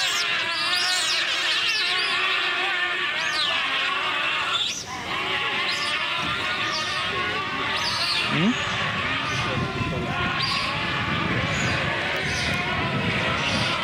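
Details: Group of giant otters attacking an intruding giant otter, calling together in a loud, continuous chorus of overlapping harsh wails and squeals.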